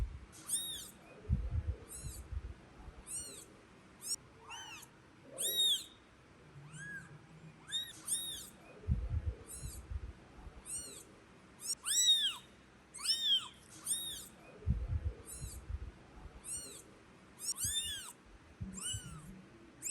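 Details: A kitten cries before its angry mother cat carries it back to the nest: high, arched, harmonic mews repeated roughly every second, with low thumps and rustling underneath.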